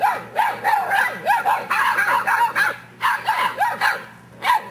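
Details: English Mastiff puppies at seven weeks old barking together; a dense run of short, high, yappy barks with arching pitch, several pups overlapping almost continuously, brief pauses near three and four and a half seconds.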